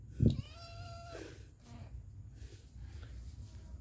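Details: A father cat with his kittens at feeding time gives one clear meow, a steady tonal call lasting under a second, followed by a short rough note, while a person talks in Bengali nearby.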